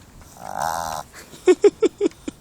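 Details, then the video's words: Pet male pug making funny noises with his nose: a drawn-out nasal grunt, then five short, sharp snorts in quick succession, roughly one every fifth of a second. "Pug Makes Funny Nose Noises"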